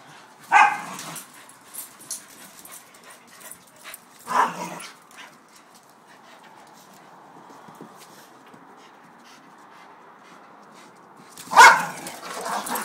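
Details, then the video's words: Two dogs, a corgi named Penny and a beagle mix named Duke, playing rough on a porch: three sharp barks spaced several seconds apart, with softer growly grumbles and scuffling between them. "Penny and Duke Playing Rough"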